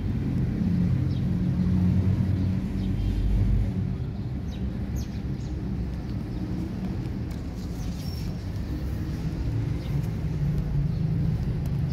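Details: Steady low vehicle rumble outdoors, with faint scattered high ticks and no clear animal voice.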